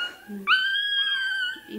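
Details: Young toy terrier puppy undergoing tail docking gives a single long, steady, high-pitched wail, with brief bits of human talk before and after it.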